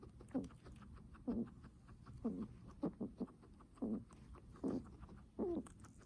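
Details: Heavy breathing from a guinea pig, a steady series of low, throaty, harmonic puffs about once a second, each brief with a slight upward bend, over soft rustle.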